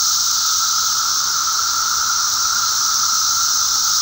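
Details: Mass emergence of periodical cicadas in eastern North America on May 19, 2011, producing a continuous, even, hissing chorus, a bright high band over a fainter lower tone, with no pauses.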